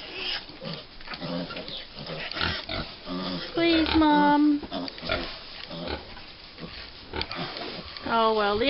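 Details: American Guinea Hog piglets, five weeks old, clamouring for breakfast on a farm: rapid grunting throughout, a sharp wavering squeal midway and another at the close, with a person talking over them.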